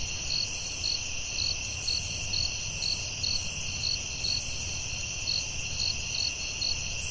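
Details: Forest crickets at night keep up rhythmic high chirps, close to two per second, layered over a constant ringing insect trill and a muffled low background rumble.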